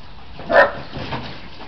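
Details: Australian Shepherd puppies at play give one sharp, bright yip early on, followed by a couple of softer, lower yelps and scuffling against a steady background hiss.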